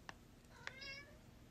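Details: Pet cats being offered lobster treats indoors: two soft clicks, then one short, bright meow that rises and falls in under half a second.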